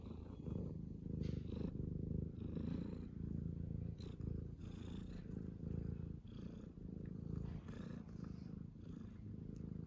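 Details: Morning purring from a tuxedo cat, a continuous low, throbbing rumble with rapid regular pulses. It holds steady throughout, broken by soft rustles and light taps.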